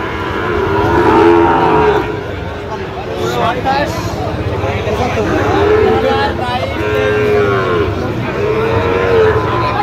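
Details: Sahiwal bull calves at a full market in Gazipur, Bangladesh, on 27 October: scattered short, bending moos stand out against a constant background of crowd noise and voices.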